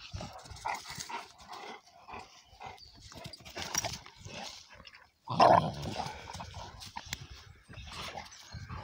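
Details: Two young Cane Corso Italiano dogs, Conor and his son Bala, play fighting; rough, noisy growling bursts come and go, with a loud harsh snarl near the middle and scuffling throughout.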